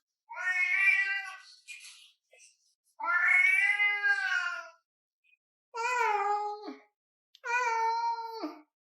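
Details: An orange domestic cat meowing insistently while arguing with its owner indoors: four long, drawn-out harmonic meows, some wavering and falling at the end, separated by short pauses, with no other sounds.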